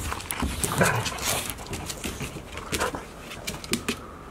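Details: One-year-old Golden Retriever siblings Asahi, a darker-coated male, and Chiwa, a female, play-fighting at Ain village on 4 May 2019 while brother Rowa watches; short huffs and a brief grumbling vocal burst over scuffling and rustling.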